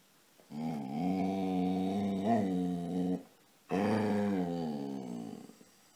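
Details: Casy, a dog that wants petting during play, voices a sustained, wavering, low grumbling moan of nearly three seconds, then after a short pause a second, slightly falling one.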